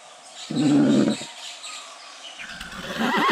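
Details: Goat that neighs like a horse, giving one short bleat of under a second, low and wavering with a steady buzz, followed by quieter rustling and faint higher squeaks.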